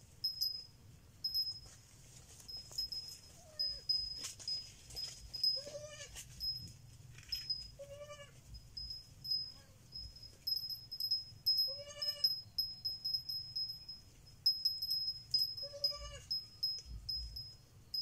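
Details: Kid goat bleating repeatedly, with around six short, wavering, nasal cries spaced irregularly a few seconds apart, some faint and some louder. Light tinkling chimes and a steady high ringing tone run underneath.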